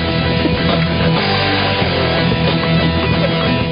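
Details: Loud distorted rock guitar music plays throughout, with no animal sounds. Heavy strummed chords and a dense low end fill the whole recording.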